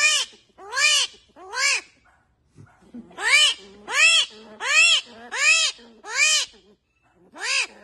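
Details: Armadillos screaming as they communicate with each other: loud, high, tonal cries that rise and fall in an arch, about eight of them in quick succession, roughly one every 0.7 seconds, with a brief pause after the third.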